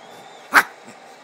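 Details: A two-year-old female Shih Tzu–Maltese cross in a nightly burst of excitement gives one sharp, loud bark, short and bright, in a quiet room with a faint hum of background noise.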